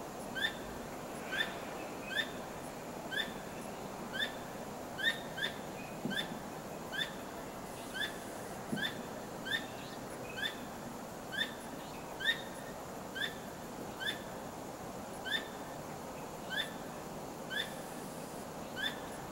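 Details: At night, a squirrel gives a long series of short, sharp chirping notes, roughly two a second, over a steady hiss, while repeatedly wagging its tail; it was not trapped, and such night calling is rarely heard.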